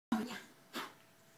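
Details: Pug playing and barking, giving a short, hoarse bark followed by a breathy, snorting huff.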